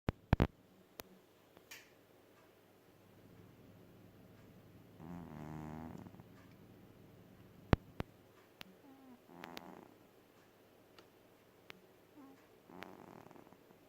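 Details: Domestic cat snoring while asleep. Soft, breathy snore bursts with a low buzzing tone come back about every four seconds. Between them the room is quiet, apart from a few sharp clicks.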